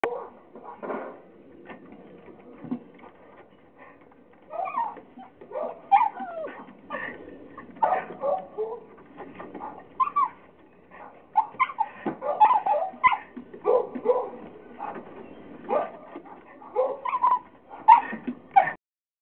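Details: Small female rat terrier, about twelve pounds, treeing a squirrel in a gazebo after catching and shaking it; excited, high whining whimpers and yelps come in rapid irregular bursts throughout, with brief pauses and no other clear sounds.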